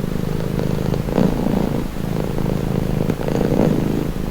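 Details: A purring cat at rest: a low, rough rumble that brightens briefly on two breaths, about two seconds apart, with a steady hum underneath.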